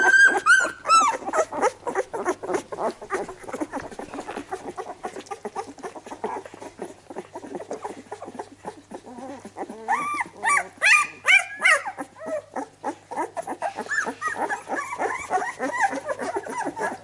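Labrador Retriever puppies whimper and squeal in quick, high, rising cries amid busy shuffling.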